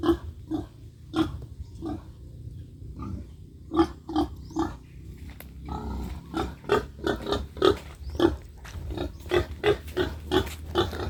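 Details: Pigs in a backyard farm pen in the Philippines, including a young sow being raised for breeding, give steady low rhythmic grunts, roughly two each second and quickening toward the end, over faint music.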